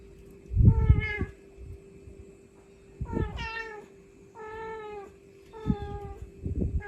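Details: Mother cat calling her kittens, recorded on the spot: four drawn-out, harmonic meows, each about half a second long, spaced roughly two to three seconds apart. A steady low electrical hum runs underneath, with soft thumps between calls.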